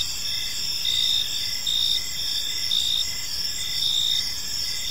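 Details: Park crickets at evening give a high, ringing continuous trill broken by quick repeated chirps at a steady pace, set against a quiet low hum of distant background noise.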